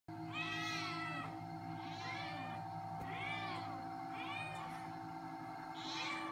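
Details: Domestic Shorthair cat awaiting adoption at a shelter, recorded 22 March 2017: five drawn-out meows that rise then fall, coming about every 1.2 seconds over a steady electrical hum.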